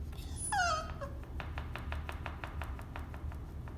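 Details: A Cavalier King Charles Spaniel, half yawning at bedtime, gives a high, wavering whine that slides downward, wanting out of its cage.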